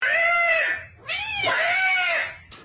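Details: Pet cat meowing indoors: two long, drawn-out wailing meows with a clear harmonic tone, the first steady, the second rising then falling after a short gap.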